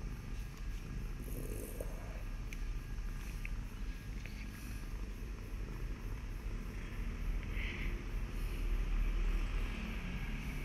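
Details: A domestic cat purrs in a steady low rumble, close and continuous, with faint clicks and a thin high tone in the background.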